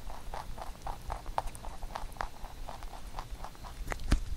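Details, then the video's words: Pet rabbit munching a carrot songpyeon prepared for Chuseok, steady rapid crunching bites roughly four each second, soft and even, with a louder knock at the very end. "Rabbit eating sound with Carrot SongPyeon"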